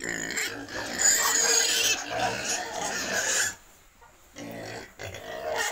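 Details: Pigs squealing at a wild and domestic pig breeding farm in Cambodia: sustained rough, scratchy squeals with some high whistling tones, a brief lull partway, then the calls resume.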